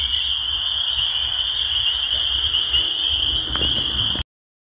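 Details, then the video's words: Chorus of spring peepers forming a continuous piercing high-pitched drone, steady throughout, over a soft low background rumble with a few faint knocks, ending abruptly in silence. "The Sound of Spring Peepers"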